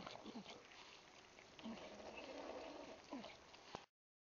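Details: Just-born Bulldog puppies grouped in their birthing nest, born 1-1-12, making brief squeaky grunts and little rising squeals every second or so against constant hiss, before the sound cuts off abruptly.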